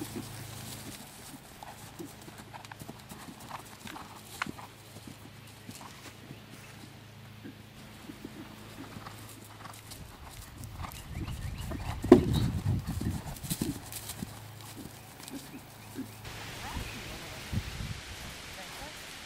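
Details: Horse out cross-country schooling for the third time, still new to jumping. Scattered hoof strikes and clatters over low rumbling noise, a heavy burst of thumps midway suggesting a landing, then quieter steps.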